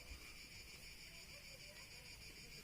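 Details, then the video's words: A steady, shrill buzzing of cicadas drones on without pause in southern France, a few kilometres below Brive-la-Gaillarde, faint beneath a low outdoor rumble. "Alors, on est dans le sud, on entend les cigales. Écoutez-moi ça."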